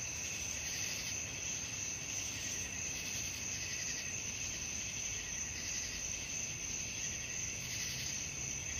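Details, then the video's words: Night crickets form a steady, shrill wall of trilling that swells gently in regular pulses, with only low background rumble beneath. "suara jangkrik malam"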